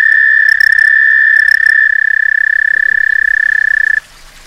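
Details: Summer mating call of a frog that stayed on a back stoop for several days, calling to a friend: an even, high-pitched trill held for four seconds that then stops abruptly. A few faint background clicks are heard.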